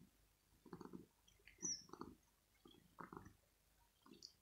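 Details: Male kitten purring in the early morning after waking its owner, wanting cuddles and petting. Soft, low, pulsing bursts come in a steady rhythm, each lasting about a quarter second, with quiet pauses between them.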